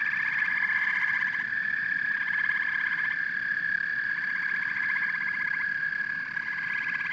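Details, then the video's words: Massed frogs and toads giving a loud high trill, overlaid by repeated rattling bursts of pulsed croaks every second or two, steady throughout. "Frogs and Toads Symphony"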